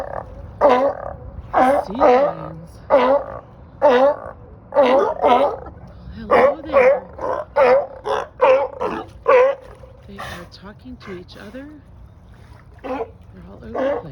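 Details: On a dock in Marina Del Rey, California, a group of sea lions and seals bark loudly in a rough, repeated chorus, about one honk per second.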